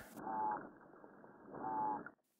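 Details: Fish; calls; talking to each other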